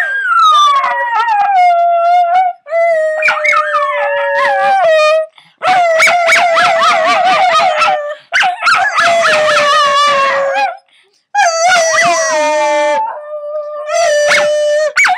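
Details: Puppy howling in long sustained tones that start higher and slide down to a steady pitch, several drawn-out howls in a row separated by short breaths, with a few broken yips mixed between them.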